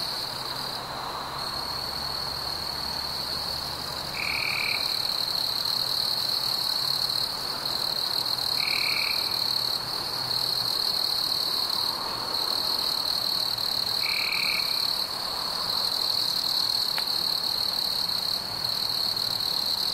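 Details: Chirping crickets on a warm summer night with fireflies: a constant shrill high trill fills the background while three short, lower buzzy bursts arrive about every five seconds.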